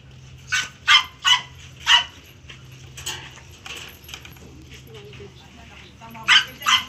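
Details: Stud session with a German Shepherd: four rapid loud barks, a single bark a second later, then two more at the close. Faint human voices and a low hum run underneath.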